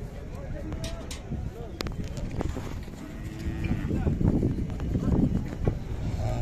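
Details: Khillar cattle at the Sangola cattle market on 12 May 2024. Deep, droning moos swell and overlap in the second half, over a steady murmur of crowd noise and market bustle.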